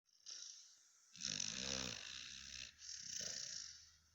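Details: Cane Corso guard dog snoring while asleep, a low rumbling, buzzy breath lasting over a second, followed by softer airy hissing inhalations and a second weaker rasping snore.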